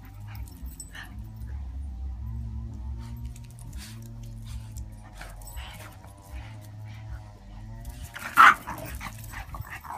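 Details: A Boston Terrier rescue dog available for adoption in Florida grumbles and whines in low, drawn-out tones, then gives one sharp yip.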